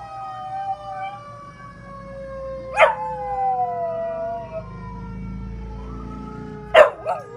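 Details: Ruby, an 11-month-old rescue dog of chihuahua, pitbull, German shepherd, Jack Russell terrier and rat terrier mix, gives her daily howl: long steady drawn-out tones alongside a siren-like wail, broken by two sharp short bursts.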